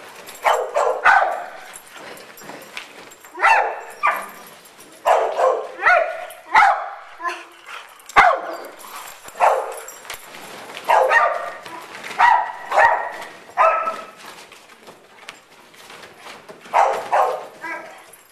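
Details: Boisterous barking throughout from big dogs, Great Dane, Rottweiler-Labrador mix and Boxer among them, playing at Double Dog Day Care indoor dog park; strong barks in irregular volleys, often doubled, with brief pauses and room echo.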